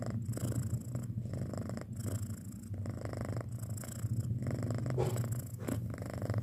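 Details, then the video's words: Six-month-old house cat purring indoors: a steady low rumble throughout, with faint soft rustling and no other sounds. "Suara Kucing Mendengkur"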